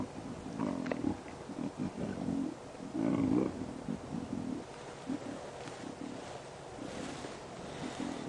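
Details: Lions of the Nkuhuma pride, females and cubs, growling while lying around a buffalo carcass on a cloudy sunrise drive; deeper growls are the females. Low rumbling growls come in a rapid series of short bursts, loudest and longest midway.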